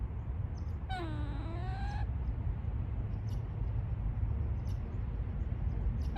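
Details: A single gray squirrel call from a woodland scene: one whiny, harmonic moan lasting about a second, bending down and back up in pitch, followed by only a low steady rumble.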